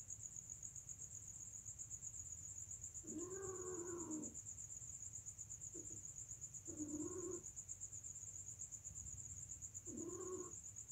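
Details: Domestic cats during mating give three short, wavering, moaning yowls spaced a few seconds apart, quieter and somewhat distant, over a constant thin high-pitched whine and low background hum.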